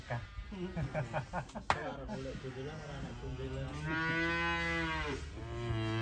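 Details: Cow being unloaded from a truck: clattering knocks and thumps at first, then a low, drawn-out moo that swells and holds, with a faint steady high whine behind.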